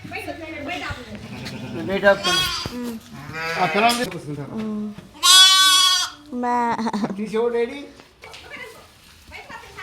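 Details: Village farmhouse sheep give several loud, quavering, harmonic bleats, one strongest and most strained in the middle, mixed with people talking and calling to the animals, then laughter.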